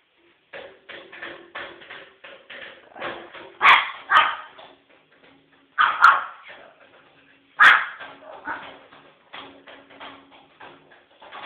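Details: Protective Pekingese female barking nonstop as a warning at a man beating on an empty plastic water bottle; four loud, sharp barks stand out at irregular intervals among a dense run of quick, crackly bottle thumps.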